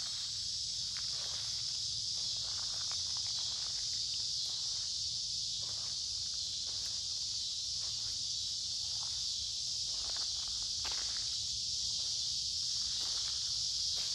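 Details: Cicadas in full summer chorus beside a woodland creek on a warm, humid day: an unbroken shrill, hissing drone, while footsteps crunch at an irregular pace underneath during a walk.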